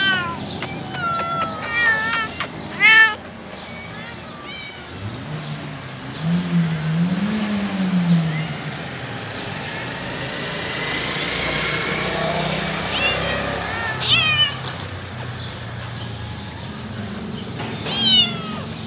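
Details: Hungry cat at feeding time giving short meows early on, then a long low murmuring stretch under background noise, with further brief meows near the end.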